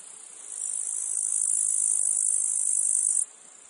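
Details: A single cicada phrase from a meadow field: a thin, hissing buzz grows louder for about three seconds, then stops abruptly, leaving a soft background insect drone.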